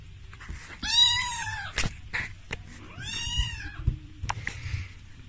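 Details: Sphynx cat, a hairless breed, indoors in a small room: two drawn-out, arched meows about two seconds apart, each rising then falling with stacked harmonics, with soft clicks and rustling between.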